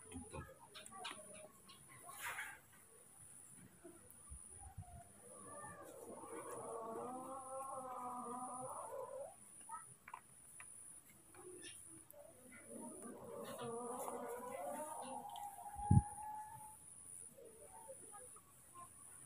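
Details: Frightened, angry baby monkeys Moni and Mino react to a new cameraman with two wavering, pulsing harmonic screams of roughly three seconds each, separated by a pause, over low rumbling background noise and a sharp knock.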